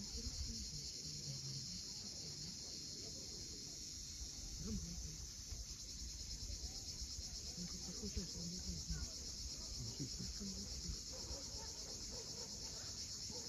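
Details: Cicadas droning at sunset above the sea at Cape Fiolent, Crimea: an unbroken high-pitched buzzing carpet, accompanied by scattered low rumbles and faint short notes.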